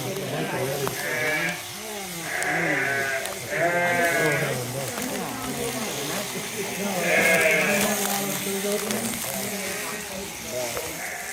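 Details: Sheep being sheared, giving a series of shaky, nasal bleats, three close together early on and another later, over steady talking, background music and clattering shed noise.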